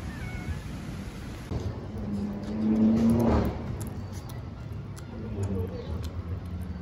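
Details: Hungry stray kittens living on the street in Istanbul meow for their mother cat: a single drawn-out, wavering meow in the middle, with a low hum of street noise throughout.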